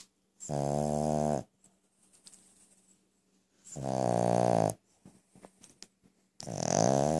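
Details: Pet Brussels Griffon dog snoring very loudly; three long, rumbling, rasping snores about one second each, separated by quiet pauses with small breathy snuffles.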